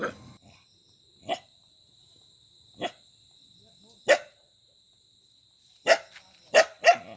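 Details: Dog giving seven short, sharp barks at uneven intervals, sparse at first and then bunched into a quick trio near the end. A constant thin high whine hums in the background.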